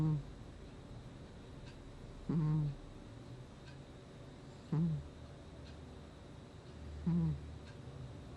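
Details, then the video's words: Gnusmas the cat snoring in its sleep, August 2020: four short nasal, squeaky snores with a low buzzy tone and faint overtones, spaced about every two and a half seconds, in a quiet room. "Кот храпит во сне"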